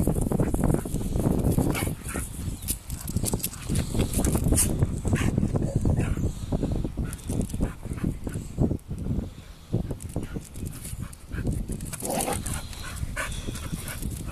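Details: Two Bull Terriers fight, with dense low growls, snarls and scuffling in rapid bursts.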